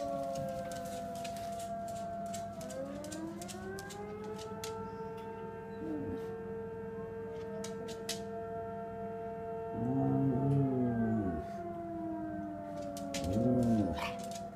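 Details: Astrid, an AKC certified female Samoyed, howls back at the local fire department's siren alert. Steady, long wailing siren tones hold throughout, joined late by her louder, wavering howls that bend up and down in two bursts.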